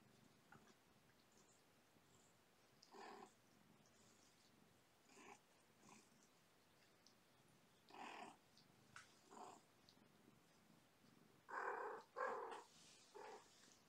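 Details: Five Infinity Kittens, born April 14 to mother cat Gamora, during bedtime lap time and play; a few short harmonic meows spaced several seconds apart, two close together near the end, with soft scuffling and tapping between.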